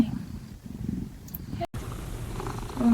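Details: Domestic male cat, greeted as a sleepy head in the morning and offered snuggles, purring in a steady low rumbling pulse that breaks off briefly midway, then resumes, with soft indoor room sound.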